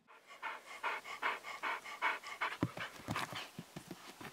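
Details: Panting from Max, a 12-year-old husky who loves playing with balls yet is too afraid to jump out; rapid rhythmic breathy pants, about two and a half per second, turning shorter and choppier in the second half.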